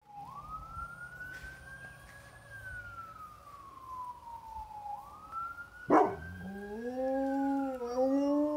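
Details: Dirty Harry The Enforcer, a pet Bullmastiff, howls at passing sirens. A siren wail rises and falls for about five seconds, then the dog joins with a long, steady, mournful howl rich in harmonics as the siren continues.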